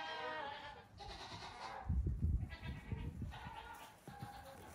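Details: Goat kids close to two weeks old hopping around on a farm during a short morning outing; drawn-out bleats rise and fall, broken by loud bumps and scuffling in the middle.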